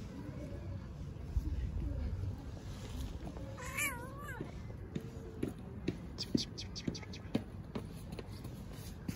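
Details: Tuxedo cat, one of the homeless street cats in Istanbul, asking for affection more than food: a single short meow that rises and then falls, heard under a woman speaking Turkish, with light clicks and rustling around it.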